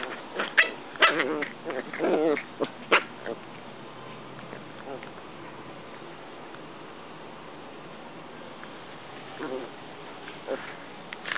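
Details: Corgi puppies Luna and Toad at play: a dense cluster of yapping barks and rough play growls in the first three seconds, then a long quiet stretch with a few faint yips near the end.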